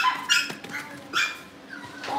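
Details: Cavalier King Charles Spaniel puppies indoors, wanting to go into the living room to play; high whining yelps in two short bursts with fainter whimpers between.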